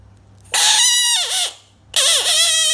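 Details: American bullfrog. Two loud, nasal, wailing cries from an American bullfrog, each about a second long, with a bright, reedy tone. Each cry holds steady, dips and wavers downward, then rises again; nothing else is heard.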